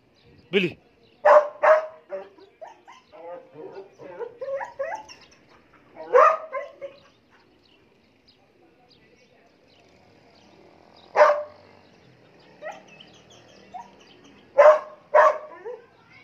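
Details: Aggressive black Belgian Malinois barking in sharp single and paired barks, with irregular pauses and some softer low sounds between bursts.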